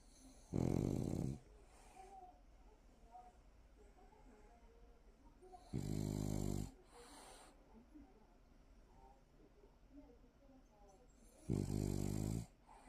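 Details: Sleeping French Bulldog Sikppang snores in three harsh, rattling bursts, each lasting about a second and recurring roughly every five to six seconds, with soft breathing in the quiet stretches between.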